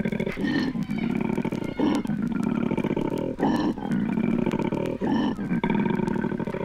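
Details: Koalas courting in Australia: a deep, rasping, snore-like roar that pulses in loud bursts about every second, broken by brief gasping pauses.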